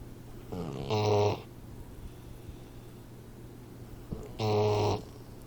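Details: Sleeping 4-month-old Boxer puppy snoring: two loud, raspy, buzzing snores about three and a half seconds apart, with quiet breathing between them and a steady low hum underneath.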